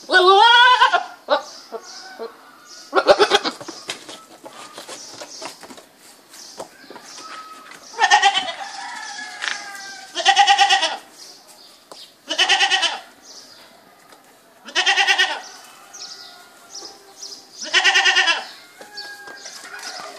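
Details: Goat bleating again and again, loud tremulous calls of about a second each, spaced roughly every two to three seconds, with quieter bleats and soft background noise between them.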